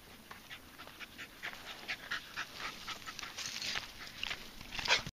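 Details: Dogs panting while climbing a hill on a hike, one of them 8 months old and over 80 pounds; quick, breathy, rhythmic huffs several times a second, growing louder toward the end.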